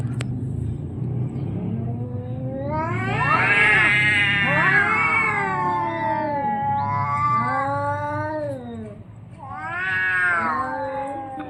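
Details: Orange and white cat fighting to defend its area: loud drawn-out caterwauls sweeping up then sliding down, several overlapping wavering howls in bursts, a pause near nine seconds, then another rising wail over low hum.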